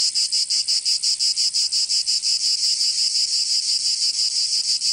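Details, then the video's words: High shrill cicada song in summer in Provence, southern France, a pulsing sizzle repeated almost three times per second, merging into a steadier drone toward the end. "Canto Cigarra 🦗 [ Escuchar les cigarras en verano 10 H]"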